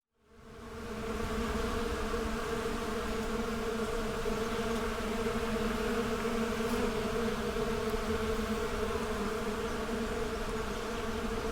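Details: Many bees going about their daily routines, a dense buzzing swarm: a steady, continuous low hum with stacked droning tones that fades in over the first second and then holds level throughout, with no other clear sounds.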